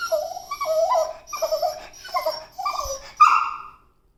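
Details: Beagle (Canis familiaris), whining yowls: seeking attention.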